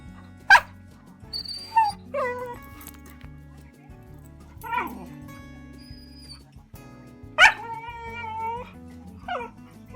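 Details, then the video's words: Pet dog barking and whimpering at a movie on a big screen, seeing one for the first time and afraid; a few sharp barks and thin whines over the film's soundtrack music. "watching a movie and the dog is barking because it's the first time to see the big screen."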